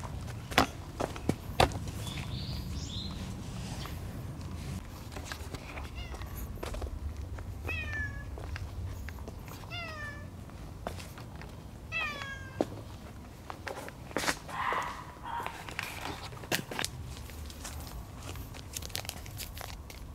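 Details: Timid, low-ranking black-and-white female cat lodging with a white-and-brown cat family; several short, falling meows cluster mid-clip over steady low background rumble and scattered clicks and taps.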